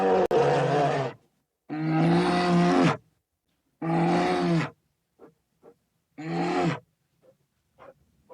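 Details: A bear from Ukraine gives four deep, rough roaring growls, each about a second long, roughly every two seconds, with faint low grunts between them.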